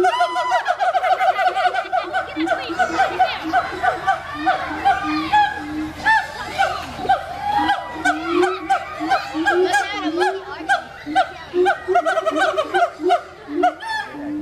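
Siamangs calling with loud, swooping hoots and barks that overlap in a busy, excited chorus.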